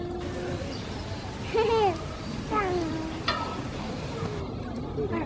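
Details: At Ueno Zoo, where Hokuto's baby (born 29 April 2020) is climbing a ladder, a Japanese macaque gives short, tonal calls that rise and then fall, over a steady murmur of background noise.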